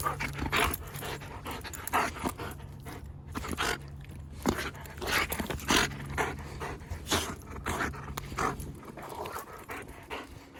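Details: Luna, a female wolfdog outdoors on a farm, wanting to play, pants hard in quick breathy bursts that repeat steadily through the whole stretch, with a faint low hum underneath.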